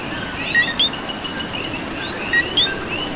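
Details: A coqui calls in Puerto Rico rain. Two clear two-part calls, a short low note followed by a sharp rising whistle, with fainter frogs calling behind and soft rain noise throughout.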